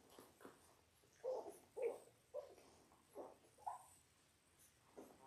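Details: Labrador Retriever puppies, a litter of six born January 18, 2022, ten days old on a live puppy cam indoors, giving short whimpering squeaks in quick irregular bursts, about two per second, with quiet gaps between.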